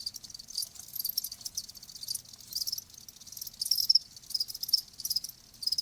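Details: Cricket sound offered as a calming nature recording for tinnitus; high, shimmering chirps come in uneven bursts roughly every half second, softer and more scattered than a steady trill, over a faint low rumble.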